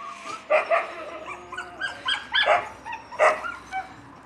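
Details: Yakutian Laika puppies giving short, high yelps and yips in uneven bursts, with a pause and then a loud double yip near the end; a few softer whimpering notes fill the gaps.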